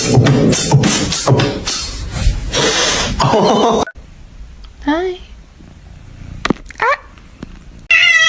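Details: Kitten giving short, rising meows repeated every second or two, heard after a stretch of busy voices and noise; the last call is a clearer, sustained meow.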